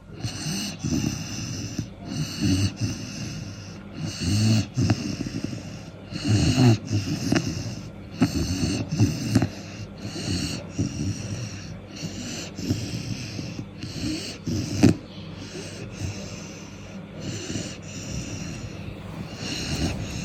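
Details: A sleeping 4-month-old Cane Corso puppy snoring steadily, each breath a rough wheezy rasp repeated roughly every two seconds, with snorting catches at the peaks.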